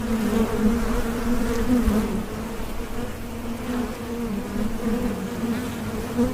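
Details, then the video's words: Bees buzzing in a steady, continuous low drone with a higher overtone, gently swelling and fading, no other sounds. "Bees Buzzing"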